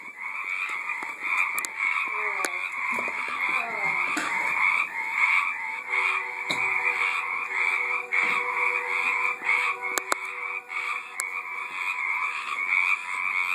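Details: Frogs calling in a backyard pond in 2012: dense, overlapping raspy croaks packed into near-continuous pulsed bursts, roughly a hundred per minute, with a few faint clicks and a low hum in the background.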